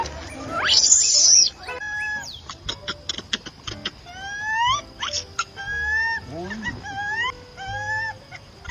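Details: Young monkeys fighting on a tree trunk give loud, shrill squeals in quick, uneven bursts, opening with a harsh screech.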